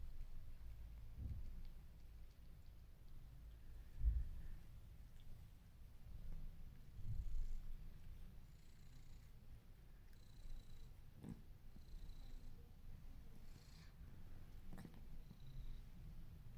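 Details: Low, continuous purring from one of two male cats, a grey British Shorthair and a white-and-orange domestic shorthair, as it seeks attention from the other indoors in March 2021. Soft thumps occur, with faint high chirps now and then.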